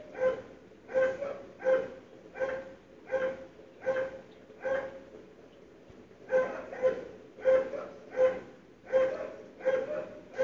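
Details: Barking dogs waking a household on 17 February 2012, the noise carrying through sealed doors; a run of regular barks, a brief pause, then another steady series.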